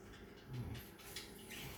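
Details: A Labrador Retriever named Toni, asleep and dreaming, snores softly: one low, rumbling breath of about a quarter second, quiet against a faint room hiss.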